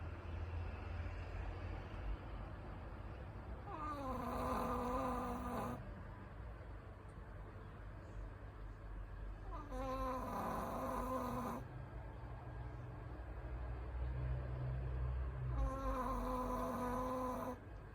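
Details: Kuu-chan, a Shih Tzu, snoring loudly while asleep at night: three drawn-out nasal snores, each about two seconds long, spaced roughly six seconds apart, over a steady low hum.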